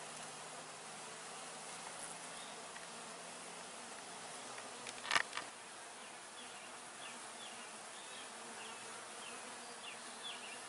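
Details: Many honey bees humming around apiary hives, close up, early June 2020: constant soft buzzing, a short knock-like burst near five seconds, then faint chirpy bird notes in the background.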